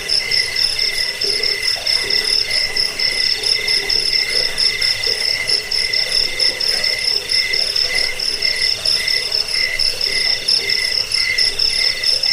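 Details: Cricket calling, used against rats, as a sleep aid and for training songbirds; steady high ringing chirps in stacked bands with fine rapid pulsing, the lower band stuttering in short bursts throughout.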